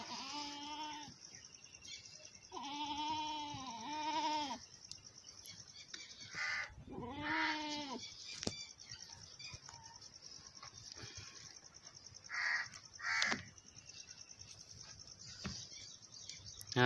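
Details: Goats on a farm while a mother goat nurses her large male kid: three loud, wavering, harmonic bleats, each about one to two seconds long, separated by quieter gaps with faint rustling and a few soft sounds.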